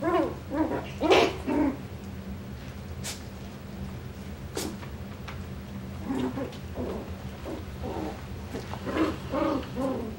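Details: Young Coton de Tulear puppies in a litter update dated 9/21/23 give thin, squealing whines in quick clusters, pausing mid-clip before another run of rising squeaks, over a constant low background hum.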